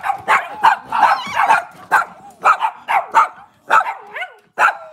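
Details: Kitchen-cam recording of a Cavalier King Charles Spaniel barking steadily and excitedly, short yappy barks about twice a second with brief whiny overtones, on a cloudy Monday morning.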